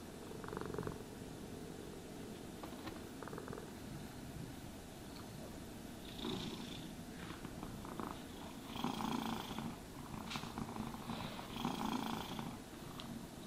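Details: A low, continuous purr from a cat during a brushing session; the rumble is soft at first, then louder scratchy grooming strokes join in the second half.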